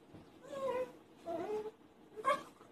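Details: A female Staffordshire Bull Terrier, reacting to being asked about "walkies", voices three drawn-out, tonal whines that bend up and down in pitch, almost like talking; the last is shortest and loudest.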